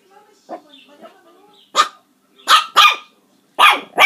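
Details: Puppies barking: a few soft, low whimpering yelps early on, then four sharp, high-pitched barks in quick pairs toward the end, with a quiet room around them.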